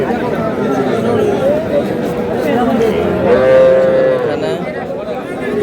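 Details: Calves at a crowded Bangladeshi cattle market where small bulls and heifers are bargained over, February 2026; a short moo early on and a longer steady moo later, beneath constant human talk.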